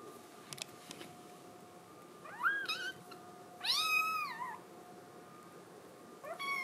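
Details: Indoor Scottish Fold kitten crying to get outside: a short rising mew, then a longer sustained wavering cry near the middle, and a final brief call at the end, with soft clicks and hum earlier.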